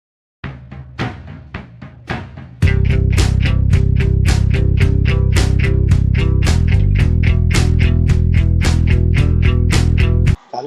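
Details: Drum-heavy music with a steady, fast beat of kick and snare hits over a low bass line, starting with sparser hits before the full rhythm comes in; no animal voice.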